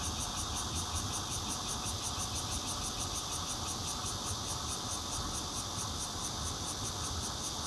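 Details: Bear cicadas and red-veined cicadas calling around a fourth-floor home in Zhongli City on 16 June 2013, phone-recorded on a Nokia Lumia 820; loud shimmering buzz made of quick repeated high pulses, continuous throughout, over a low hum.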